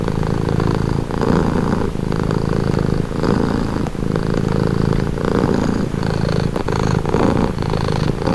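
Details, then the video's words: Relaxed cat purring, a soft continuous low rattle that swells rhythmically with breathing at close range, with nothing else audible. "Purring cat"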